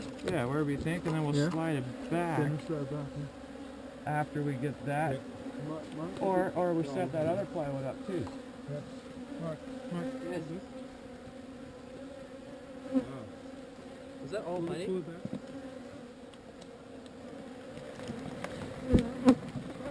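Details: Swarm of honey bees during relocation, a continuous low, even hum; a man talks over the first several seconds, then the buzzing carries on alone with a few faint clicks and a thump near the end.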